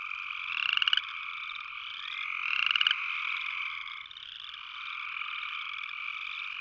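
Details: Two clear rising, rattling trills from an upland chorus frog early on, then only the dense continuous drone of a distant frog chorus.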